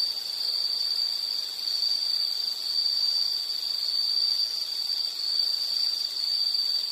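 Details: Insects heard in a background nature track for sleep and study, producing a bright, piercing continuous trill with soft pulsing swells in loudness.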